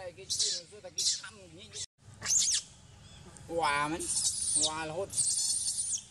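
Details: Sovana, an abandoned baby monkey, crying loudly in anger; after short chattering notes and a human voice, two strong wavering wails swell and fade, each lasting roughly half a second, over rustling noise.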